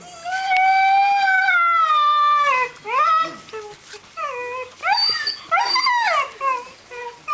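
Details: Seven-week-old Greenland Dog puppies at play in a kennel yard, Tinka's Kennel, June: one long, steady howl held for over two seconds, then a run of short, arching yelps and whines from several pups.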